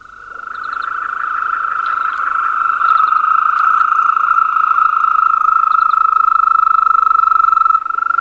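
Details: European green toad chorus, a powerful concert: a sustained, steady, musical trill that swells from quiet to loud and holds unbroken for the whole stretch, with faint higher chirps scattered above.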